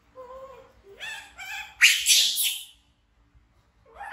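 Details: Orphaned infant monkey, rescued by villagers from the jungle, screams in fright and runs to hug a companion. Two short tonal squeals come first, then a loud, harsh, broadband scream lasting about a second. Brief quiet squeaks follow.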